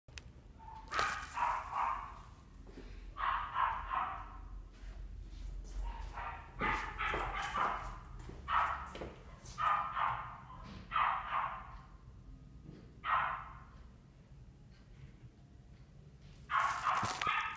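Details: Male chocolate dapple Miniature Dachshund born 10 September 2018, at a pet shop, giving short sharp barks in irregular bursts, about a dozen over the stretch, with soft thuds and quiet room noise between them.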